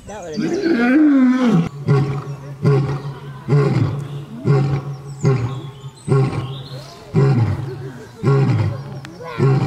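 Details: Lion giving a long moaning roar followed by a run of short, deep grunts roughly every second, with a steady low hum underneath and some faint speech.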